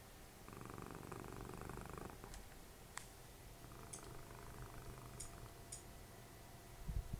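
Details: Dessie, the cuddly indoor cat who mothered Fritjof, snoring beside someone watching TV. A pulsing rumble is followed by a weaker second one, scattered small clicks and ticks, and a soft bump at the end.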